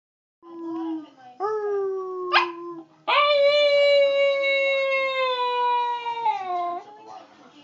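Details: A wolf gives a few short, upswept howls and a quick yelp-like rise, then holds one long, smooth, mellow tone for several seconds before letting it sag and fade.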